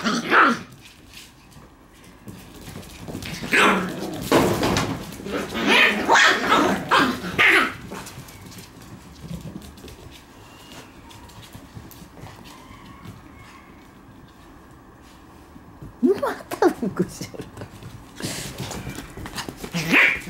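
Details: Indoor play from a Shiba Inu puppy running riot in a room: clusters of sharp, rough barks and growls over the first seven seconds, a lull with faint room noise, then renewed barking bursts toward the close, with some human voice.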